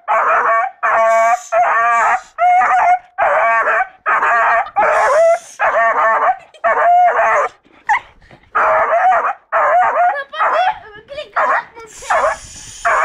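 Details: Seven-month-old beagle baying loudly in long, drawn-out howling barks with a quavering, wavering tone, delivered in a rapid run of about a dozen calls with short breaks.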